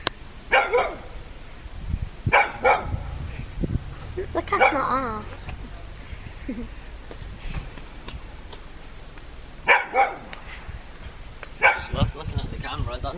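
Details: Pet dog named Peppie, scared of a little cat, gives short barks in scattered bunches: one near the start, a pair around two seconds, then two more near the end. People talk between them over a steady background hiss.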